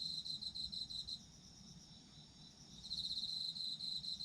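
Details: Autumn insects chirping for sleep: a dense, steady high trill of crickets, pulsing rapidly, fading briefly in the middle before resuming strongly, with other faint higher-pitched insects layered above.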